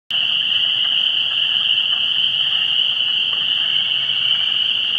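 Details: Frogs calling at a vernal pool in pre-spring on 17 March 2016: a dense, unbroken high-pitched chorus of many overlapping shrill calls, holding steady throughout with a fainter lower layer of trills beneath.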